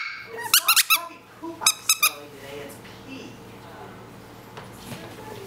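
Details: Six-week-old Coton de Tulear puppy indoors, giving two quick bursts of short high-pitched yips, three then three, followed by quiet room noise.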